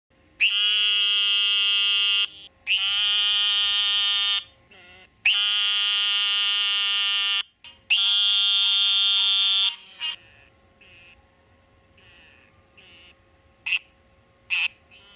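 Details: Eastern narrow-mouthed toads, which become very active right after rain, giving long, nasal, buzzy bleats that sound like a lamb.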